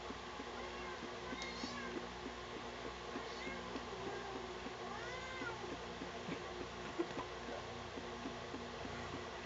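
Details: Sugar, a pet cat being combed and disliking it, gives a string of drawn-out, rising then falling meows spaced a second or two apart, over a steady low mechanical hum.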